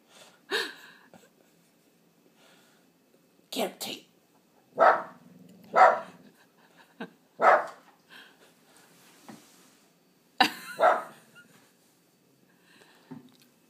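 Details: Watchdog Boston terrier frenchton Tate barks repeatedly inside the house, short loud woofs spaced one to two seconds apart in loose pairs, with faint growling and a person calling out between them.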